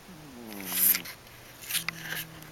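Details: Boo, a pet cat, snoring: a low wavering tone with stacked harmonics that slides downward over the first second, a breathy hiss at its peak, then a second softer, steadier snore with a hissy breath around the two-second mark.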